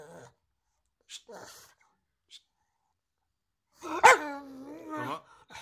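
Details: Pug heard mostly as faint snuffles and small noises at first. One loud bark then stretches into a long, level whine.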